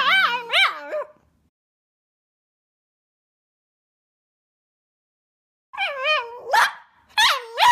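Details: Milo, a tricolour male Cavalier King Charles Spaniel born 20 April 2012, 'talks' in two bursts: wavering, tonal yowls that bend up and down, then a long silence before a second run of rising-falling moans.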